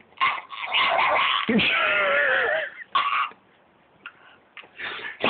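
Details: A Staffordshire Bull Terrier, freaking out for unknown reasons, gives loud, wavering whines and yowls in short bursts while a person asks what he wants and tells him to speak.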